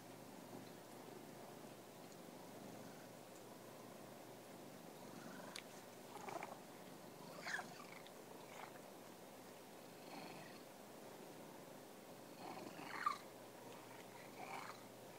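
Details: Domestic cat purring indoors, a steady low rumbling hum running through the whole stretch, with a few soft brief clicks and rustles breaking in now and then.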